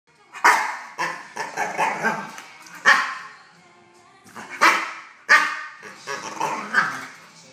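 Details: A 10.5-month-old male dog reacting to an intruder in his kennel, giving loud, harsh barks in uneven bursts, several with rough, growly tails, with short pauses between volleys.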